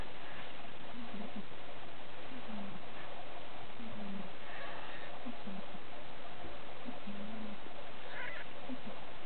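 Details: Siberian cat litter named Caleana, kittens five days old, 2012: a run of brief, soft, wavering mews, about seven in nine seconds, irregularly spaced against a hissy background.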